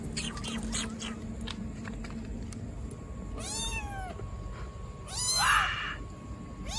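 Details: Abandoned baby black kitten in a trash box on the street, meowing loudly: two long harmonic meows, the first falling from high to low, the second bright and strained, over steady street background noise and scattered clicks.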